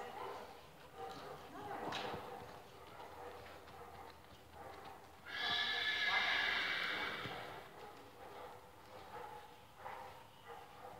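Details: Tennessee Walking Horse named Mystery gives one loud, shrill whinny lasting about two seconds midway, set among hoof clip-clops and quiet human speech.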